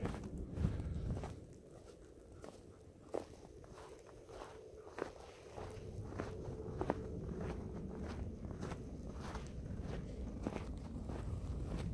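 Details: Crunching footsteps on snow, regular and steady, with low wind rumble during a midnight hike in a snowstorm; no animal calls stand out.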